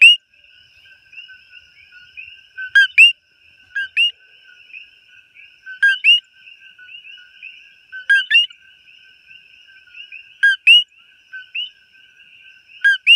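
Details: Up-close coqui frog in Hawaii giving its sharp two-part call, a brief lower tone then an upswept higher whistle, six times at roughly two-second intervals, with a constant high chorus of other callers behind.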